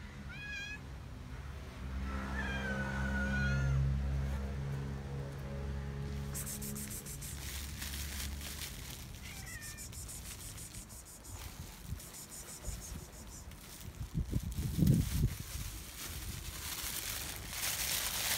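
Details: Homeless street cats in Israel at a night feeding, an angry gray male chasing three friendly cats off; a series of drawn-out wavering meows opens the scene, then a later short meow amid humming and shuffling noise.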